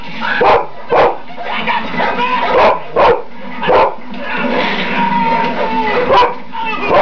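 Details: Zorba, a pet dog, reacting as an interactive cinema audience member while watching the film Snow Dogs; short sharp barks or yips burst out about six times in seven seconds over steady film dialogue and soundtrack.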